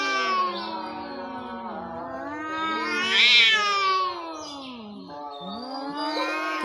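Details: Domestic cats fighting with cats from outside: long drawn-out wavering caterwaul with sliding pitch, swelling into a harsher, louder peak midway before falling and rising again; faint music underneath.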